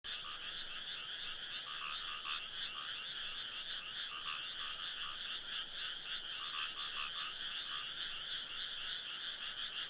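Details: Frog chorus at night, used as sleep background, a dense continuous trilling mass of many overlapping callers with bands of pulsing notes, steady throughout with no other clear sounds.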